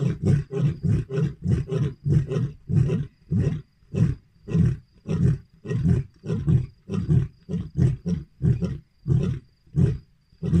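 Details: Lions roaring in the night near a lodge. A long, even run of deep, hoarse grunts, about one and a half per second, each short and throaty, with no other sounds.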